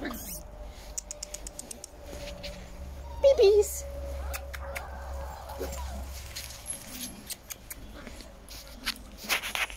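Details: Giant German Spitz puppies from the litters of the dams Olympia and Gucci, recently moved from an upstairs office to a downstairs dog room, indoors; one brief, wavering mid-pitched whimper, amid scattered clicks, soft rustling and shuffling.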